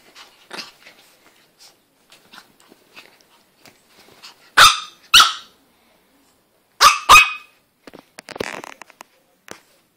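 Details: A Chihuahua playing on a bed gives sharp, high-pitched yaps in quick pairs, with soft rustling between them.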